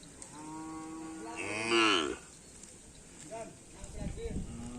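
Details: Young karapan racing bull of a promising line lowing during training at a field in Asemanis: a drawn-out harmonic moo that swells then bends downward, loudest near its end, followed by brief voices and rustling.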